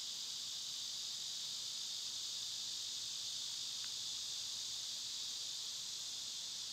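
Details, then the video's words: A dense, unvarying high-pitched drone of summer cicadas runs without pause throughout, with one tiny faint tick midway and nothing else standing out. "Cicada sounds"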